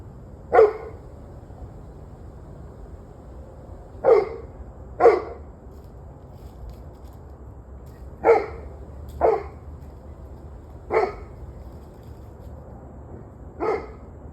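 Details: Dogs barking on the evening of 21 November 2023, 7:06 pm: seven loud, abrupt barks spaced irregularly, some doubled close together, separated by gaps of a few seconds against a low steady hum.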